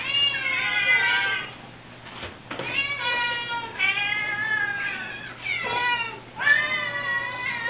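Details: Several Siamese kittens demanding food at an opened refrigerator two hours after eating: dense, overlapping meows, some rising then falling, nearly continuous with brief gaps and a soft clatter.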